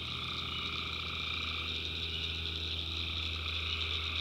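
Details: In North Carolina backwoods after dark, tree frogs keep up a thick, pulsing chorus of rapid high-pitched calls, several voices stacked at different pitches, with a low rumbling hum underneath.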